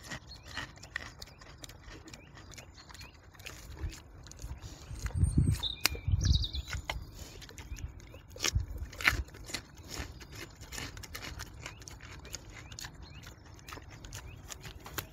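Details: Wild boar in the forest eating a carrot: a few deep, short grunting bursts cluster midway, then two more a few seconds later, over steady crackling, smacking chewing noises and faint bird chirps.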